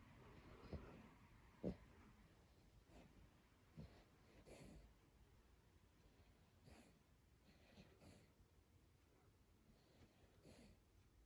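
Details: Sleeping overweight pet dog named Brooklyn, known for snoring like a person. Softer snuffling, wheezy breaths and occasional snorts repeat irregularly through a quiet indoor room, with one sharper snort early on and gentle hissing exhalations after.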